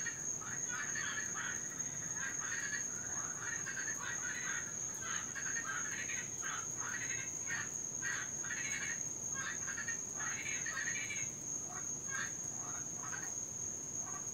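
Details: Cuban tree frogs in Florida, an invasive species, calling loudly through the night, especially when raining; a dense chorus of short raspy croaks overlapping continuously, with a steady high electronic whine in the background.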